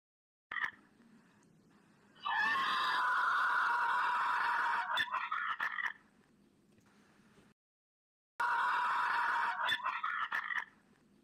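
A mule gives loud, strained, harmonic brays that hold steady and break into rough pulses.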